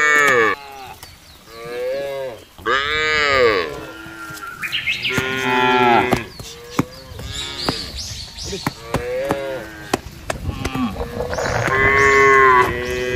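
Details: Many cattle being driven across a wide grassy pasture, a large herd moving calmly together: overlapping moos from several animals, some long and arched, some short, with clicks and faint chirps in the background.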